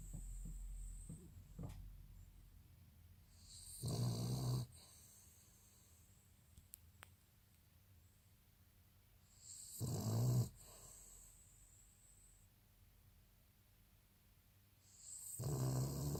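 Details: Asleep in May 2018, Jack the Cavalier King Charles Spaniel snores in low, rattling rumbles with airy hiss, three snores roughly six seconds apart separated by quiet breathing.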